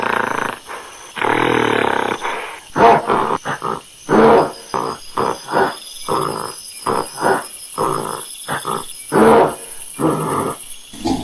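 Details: Monkey uttering harsh, throaty roars and grunts, a long opening bellow followed by a rapid series of short barking pulses, some rising in force, with constant hiss behind.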